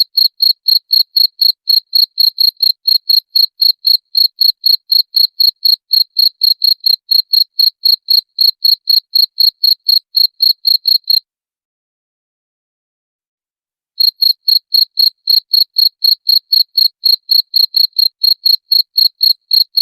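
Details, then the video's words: Chirping cricket used as a rat repellent: rapid, regular high pulses about four per second, broken by a silent gap of nearly three seconds before the same shrill chirping resumes. "SUARA JANGKRIK PENGUSIR TIKUS"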